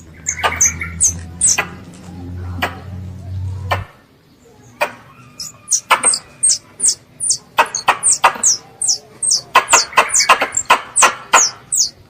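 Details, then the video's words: Squirrel chirping to call its mother, heard as rapid high descending chirps. A low droning hum runs for the first few seconds, then stops, and the chirps continue in dense clusters with sharp clicks. "THE SOUND OF A SQUIRREL CALLING ITS MOTHER"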